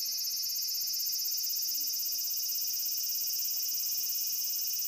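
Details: Cicada giving a loud, continuous shrill buzz, high-pitched and unbroken, with a rapid fine pulsing throughout.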